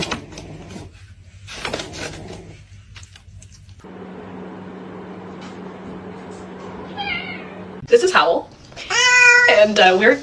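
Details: Domestic cat meowing indoors: after several seconds of low hum and faint murmuring, a short wavering meow comes, then a louder, drawn-out harmonic meow that rises and falls near the end.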